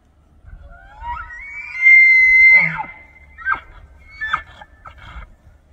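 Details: Bull elk bugling during the autumn rut in Banff, Alberta, Canada, in September, calling to attract females, control the herd and warn rival bulls; a rising whistled note climbs to a long high scream, followed by several short grunting yelps.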